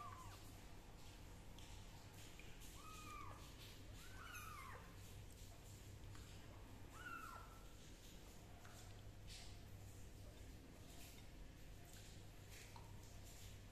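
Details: Kitten undergoing fungus treatment with leaf juice gives four short, arched meows, rising then falling, spread over the first seven seconds, then goes quiet; steady low hum and faint handling clicks fill the background.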